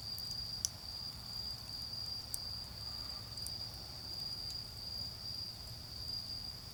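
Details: Steady high ringing of autumn insects fills a night garden beside a bonfire, the tone unbroken and even, punctuated by a few sharp pops from the burning wood over a faint low drone of distant traffic.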